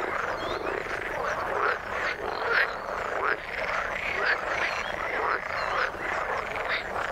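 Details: Frogs calling in water: a dense chorus of overlapping croaks and short rising chirps, repeated roughly once a second, with no other clear sounds.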